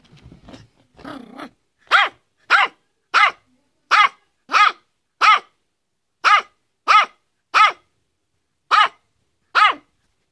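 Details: Yorkshire Terrier Fido barks in a quick repeated series, crisp high-pitched yaps spaced about two thirds of a second apart, each with a brief dipping tone, after a few low rustling sounds at the start.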